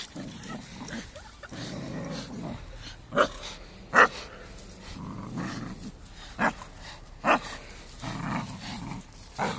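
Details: A four-year-old Staffy romps with a five-month-old Amstaff puppy, giving throaty growling bursts between four sharp, separate barks spaced a second or two apart, over steady low background noise.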